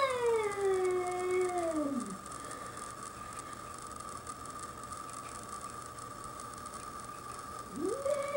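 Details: A domestic cat on a deck in Whistler confronts a curious young bobcat; a moaning howl slides downward and fades, a steady thin tone drones on, then a new rising wail begins near the end.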